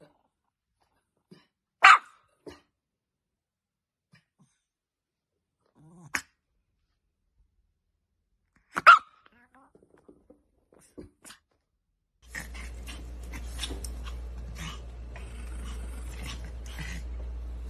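Sharp, snappy barks from an Affenpinscher come singly, a few seconds apart, with quieter soft sounds between them. Near the end, a steady hum and indoor noise take over.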